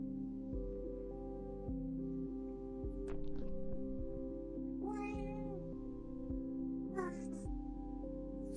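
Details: Domestic cat meowing at home among a cat family: two short harmonic meows, one in the middle and one near the end, over steady background music with a brief human voice.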